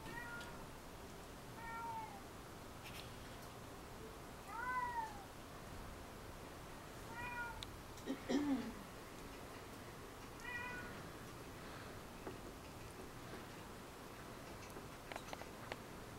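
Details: Two domestic cats at play on an indoor cat tree, recorded December 13, 2011, giving about six scattered meows, mostly short descending whines, one lower and rougher, with long quiet gaps and faint room noise.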